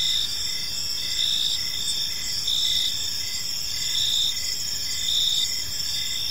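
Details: Crickets chirping in a peaceful park as evening unfolds; several overlapping high insect trills and pulsed chirps repeat steadily, some roughly every second, over a constant background hiss.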